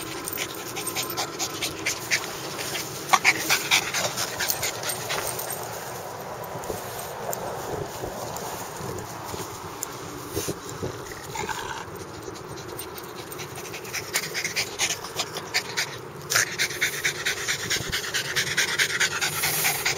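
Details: Bulldog panting in quick, breathy bursts, roughly two per second and somewhat uneven, with a steady low hum beneath.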